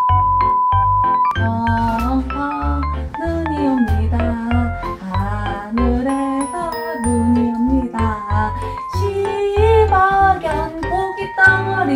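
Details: Bright mallet-percussion music with a sung melody and a steady beat plays throughout, and no animal is heard.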